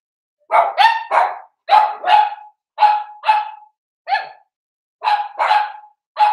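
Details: Cavalier King Charles Spaniel puppies, four weeks old, indoors in their pen: evenly spaced sharp yaps, mostly in pairs, about ten barks in six seconds with clean silence between them.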